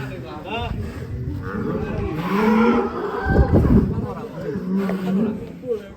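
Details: Agitated, raging cow breaking out of its pen; low, drawn-out moaning moos rise and fall amid loud scuffling, with men talking and calling out nearby.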